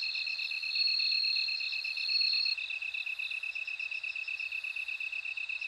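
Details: Loud, high ringing trill of a bell cricket for the first two and a half seconds, after which only fast, regular lower insect pulses and softer trilling remain.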